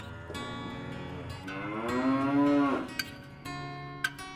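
A cow lets out a long, harmonic-rich moo lasting about a second, rising slightly before sliding down at the end. Faint guitar-like music and a couple of sharp clicks can be heard in the background.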